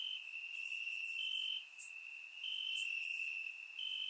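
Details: Warm summer night in Bulgaria, crickets chirping in grass, recorded in surround: a constant piercing trill with slightly higher drawn-out chirps overlaid, plus faint upper crackles.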